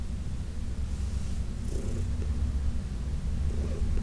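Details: Heidi, an older adopted house cat, purring under massage, a low continuous rumble with a brief soft swell near the middle.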